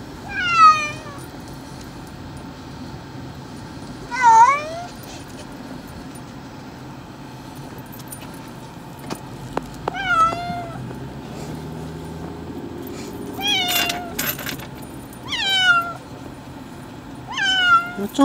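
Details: Male domestic cat, unhappy about being taken to the vet for a nail trim, gives about six drawn-out, wavering meows spaced several seconds apart, some rising then falling, while a person speaks soothingly over a low background hum.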